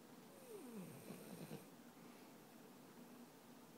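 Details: Chloe, a 13-month-old French bulldog, sleeping and snoring: a brief, whistling snore slides downward in pitch over about a second, then trails into faint, low breathing noise.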